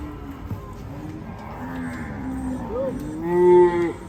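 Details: Agitated, raging cattle bellowing: low, sustained moos build through the clip into a loud, rich, rising bellow near the end, while a fainter lowing animal and murmuring background noise carry underneath.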